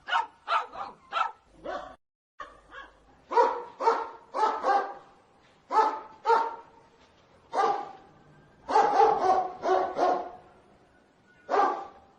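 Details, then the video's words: Dogs barking angrily, sharp harsh barks in pairs and short bursts across twelve seconds, with brief pauses between volleys and a short silent cut near the start. "Dogs barking sounds angry"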